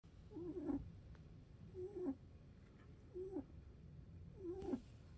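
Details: A snoring rabbit: short squeaky, whistle-like breaths, each bending up and then sliding down in pitch. Four snores come in about five seconds, roughly one every 1.3 seconds, over a low steady background hum.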